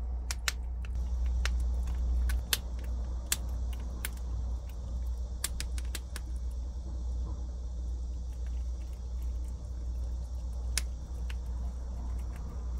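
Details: A prairie dog crunching chickpeas gives sharp, irregular clicks and snaps over a steady low hum.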